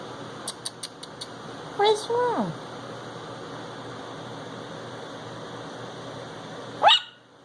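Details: Barking at a dancing Christmas toy dog, a ten-week-old Chihuahua puppy gives a drawn-out, falling yelp, then a single sharp yap five seconds later; a quick series of faint clicks comes first, over steady indoor hum.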